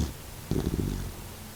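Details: Faint, low purring snore from the sleeping 16-year-old Doxiepoo Kokomaro, a senior mixed-breed dog battling stomach cancer; one half-second rumble that fades into quiet breathing.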